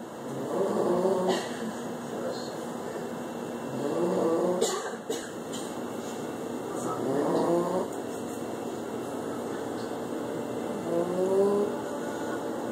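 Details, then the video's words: A sleeping French Bulldog snores in raspy, throaty breaths that come roughly every three to four seconds over a steady background hum. "French Bulldog Snoring"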